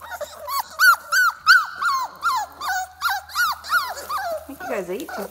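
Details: Four-week-old puppies in a kennel: a run of high, arching whimpers and yelps, each bending up then down, about three per second and overlapping from several pups, ending in lower drawn-out whines.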